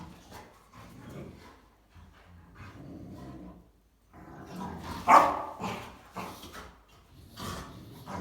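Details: Three female Rottweilers playing, chewing and humping each other indoors. Soft low grumbles in the first half give way to a loud, sharp bark near the middle, followed by several shorter yips and huffs.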